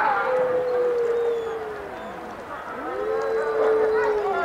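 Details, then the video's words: Wolf howling: two long, smooth, steady tones, the first starting high and easing slightly downward before fading, then after a short pause a second howl rising into a held, even note. "Wolf Song"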